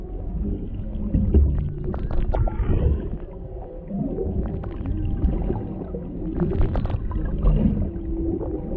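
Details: Underwater humpback whale sounds near Maui, Hawaii, recorded on a GoPro Hero 7 Black beside a mother and calf, a male nearby: faint sustained low tones and short groans amid crackling bubbles and a steady low water roar.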